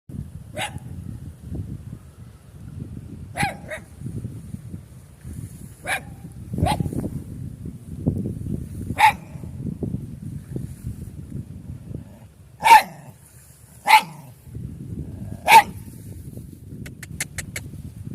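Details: Puppy making a funny sound: short, sharp yips spaced several seconds apart, a few louder ones near the end, over a steady low background rumble.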